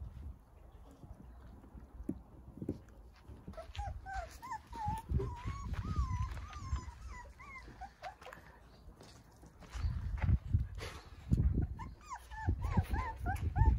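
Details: Nine Jindo puppies sunbathing in a large playpen set up in a front yard; thin, wavering whimpers rise and fall in short bursts mid-clip and again near the end, over constant low thumping and rumbling movement noise.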